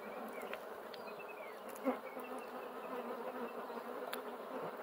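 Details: Bees droning in a low, constant hum, with a single sharp knock near the two-second mark and faint thin whistles of a small bird in the background.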